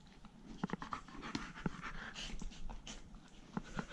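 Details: Two poodle brothers indoors at home, one out of his fence wearing a leash. Soft, rhythmic breathy panting with scattered clicks and light tapping throughout.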